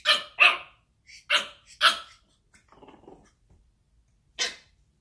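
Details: A 10-week-old Pekingese puppy boxing its reflection in a mirror gives sharp, high-pitched barks in quick bursts, with a soft growly patter between.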